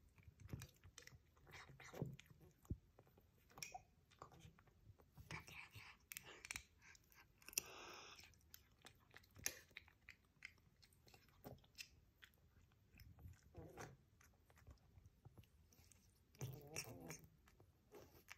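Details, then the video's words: Exotic Shorthair cat named Mr. Luokuo eating dinner indoors: dense crunchy chewing in irregular bursts of clicks and crackles, pausing briefly between mouthfuls, with faint human speech in the background. "加菲猫 ｜ 吃晚饭的罗阔先生"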